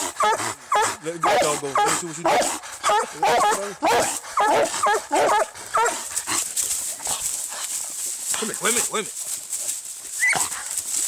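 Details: Treeing Walker Coonhound barking while fighting a raccoon: rapid, rough barks and yelps packed together for the first six seconds, then fading to scattered softer cries, with a person calling nearby.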